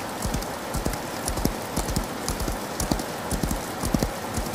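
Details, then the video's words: Horse galloping in the rain, low hoof thuds in quick succession partly blended into loud, steady rainfall and drips. "Relaxing Horse Galloping In The Rain"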